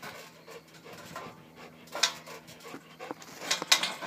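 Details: Eyk vom Alten Troll, a dog playing on a spring pole in October 2012, breathes in quick, irregular breathy bursts with a few sharper puffs near the end, while a man praises him nearby.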